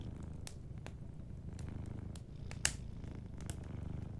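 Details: Gentle, continuous low purring from a sleeping cat by a warm fireplace, with intermittent sharp crackles of burning wood and one louder pop near the middle.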